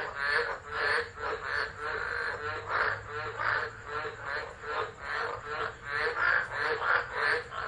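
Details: Frogs singing through a tropical storm at Driver in Australia's Northern Territory, December 2013, captured by a phone set down and left; overlapping grating croaks pulse in quick waves with a faint low rumble underneath.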